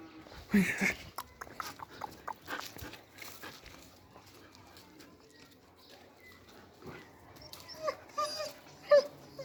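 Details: German Shepherd puppies, a male and a female aged three months, giving short high whimpers and yips spaced irregularly, with faint shuffling and household noise.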